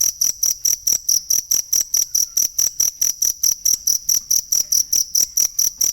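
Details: Unbroken high-pitched cricket chirping for training songbirds: sharp pulses repeat evenly, a little over four per second, with nothing else clearly audible.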